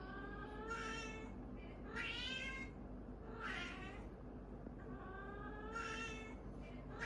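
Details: Orange cat meowing in a playful head-butting scuffle, four drawn-out harmonic meows with rising then falling pitch, spaced about one to two seconds apart, over a steady low background hum.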